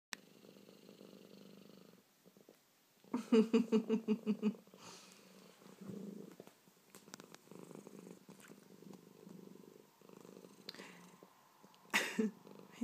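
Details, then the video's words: Baby, a male pet cat with hiccups that he dislikes, purrs low and steady indoors; a loud run of about seven quick pulsed gulps breaks in early, then the purring keeps catching in small jerks. "Baby the cat with hiccups"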